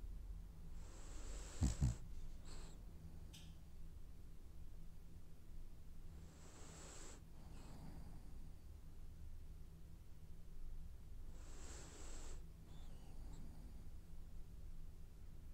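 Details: French Bulldog snoring in its sleep as it dreams; three airy, whistling snore-breaths come roughly every five seconds, each with a short follow-up puff, above a quiet low hum and a brief knock early on.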